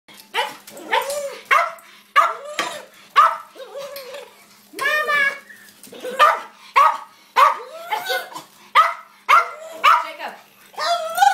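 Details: Pet dog at feeding time making odd noises: rapid, excited yips and short yelping barks, roughly two per second, uneven in rhythm, some with a wavering whine-like pitch.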